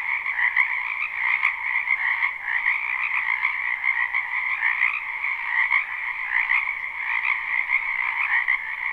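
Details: Frogs croaking en masse in a spring wetland, recorded live: a thick, pulsing chorus with irregular throbs about once per second layered over a steady trilling drone, no other noises present.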